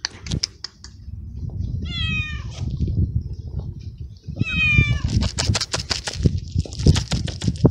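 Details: Very young male feral kitten in a city garden after eating; two clear falling meows in the middle, surrounded by low rumbling noise and a burst of rustling clicks afterward.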